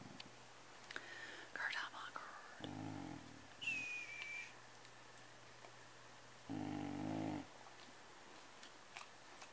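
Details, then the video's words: House cat growling over a Kleenex it is eating, with two short low rumbling growls several seconds apart amid soft whispering and quiet talk from a woman in a small room. "Growling over kleenex"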